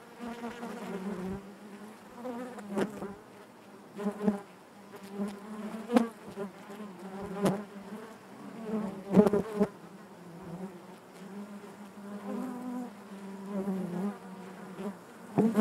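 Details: Honey bee colony humming in its hive, an unbroken low drone with overtones, punctuated by sharp brief clicks and short louder bursts of nearby wingbeats.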